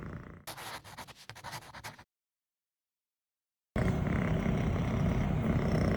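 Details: A six-month-old female longhaired Scottish Fold kitten purrs, a low, steady rumble rising and falling with each breath, while being petted and shifting posture.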